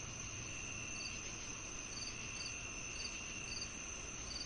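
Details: Crickets chirping, offered with cicadas as natural tinnitus sound therapy: short pulsed chirps repeated about every half second over a steady high insect drone and a low background hiss.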